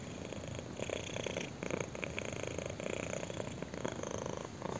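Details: Close purring of a kitten as its chin is scratched: a dense, vibrating drone that swells and eases with each breath, roughly one cycle per second, steady throughout.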